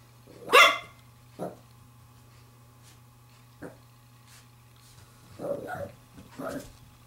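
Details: Seven-week-old female Pembroke Welsh Corgi puppy at play with a glove gives one loud yelp, then softer short barks and grumbling yips, with long quiet gaps and a constant low electrical hum.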